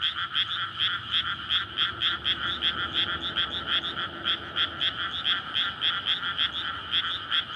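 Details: Courting frogs calling together on a May night from a flooded paddy field awaiting rice planting, a rare field amid houses beside a road; steady wall of overlapping ringing croaks, pulsed several times a second.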